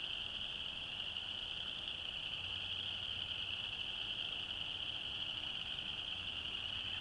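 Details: Winter chorus of chorus frogs in Alabama, recorded 22 January 2012: countless overlapping trills fuse into a constant shrill buzz, even in loudness from start to finish, with only faint low rumble beneath.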